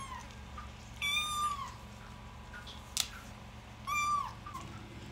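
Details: High-pitched thin mews from a mother cat's newborn kittens while she feeds them, two clear cries about three seconds apart with a faint tap between, steady low background hum.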